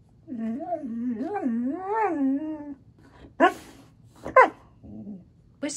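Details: Siberian Husky producing a warbling, speech-like howl that rises and falls in pitch for over two seconds, followed by sharp clicks and short bursts of sound.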